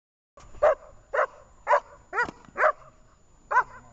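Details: Dog named Jenny during a training session in Horlivka on 18 August 2019, giving sharp barks in a loose series, six loud barks over about three seconds, with faint background noise.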